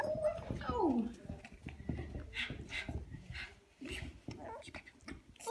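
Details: Female Shih Tzu indoors: a high, sliding whimper that drops steeply in pitch within the first second, followed by faint whines, with a woman speaking softly and household noises throughout.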